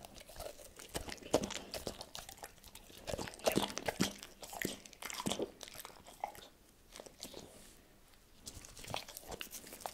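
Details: Tito, a pet dog, munching cordon bleu indoors: bursts of crunching and biting with louder chomps around three to five seconds, a softer pause near seven seconds, then chewing resumes, with no speech.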